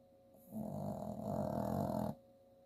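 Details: Sleeping 8-year-old female Chihuahua and Jack Russell Terrier mix, a rescue dog, snoring while dreaming indoors; one low, rasping snore lasting about a second and a half, steady and rough, with a faint electrical hum behind.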